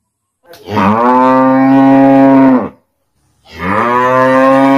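A cow gives two long, deep moos, each a drawn-out harmonic bellow with a brief pause between.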